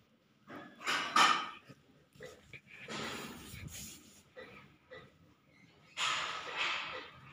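A Golden Retriever puppy gives short, breathy yips and snuffling bursts in an irregular pattern.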